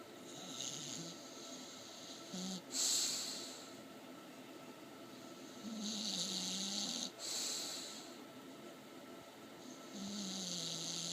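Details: An English Bulldog, asleep and dreaming, snores with rasping, breathy snorts every few seconds.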